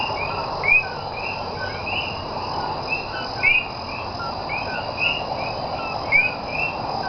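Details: A night chorus of common coquí frogs (Eleutherodactylus coqui) recorded in Cayey, Puerto Rico, on 28 January 2010 gives sharp two-note 'co-kee' advertisement calls, each ending in a rising whistle, over steady insect trilling.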